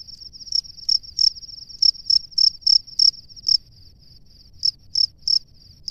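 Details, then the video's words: A male cricket in its nest calls to a female with shrill, high chirps in uneven bursts: a run of quick pulses, a pause of about a second, then a few more spaced chirps over soft background hiss. "SUARA JANGKRIK JANTAN DI SARANGNYA MEMANGGIL JANGKRIK BETINA"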